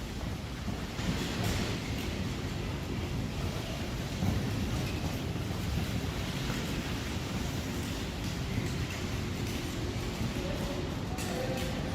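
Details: Rushing water spray and wind buffet the microphone continuously, a dense broadband noise with no animal voice.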